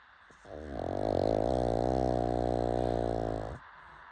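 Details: Late-night snoring from a pug: one long, steady, buzzy snore lasting about three seconds, rough and rattling throughout, with quiet room tone before and after.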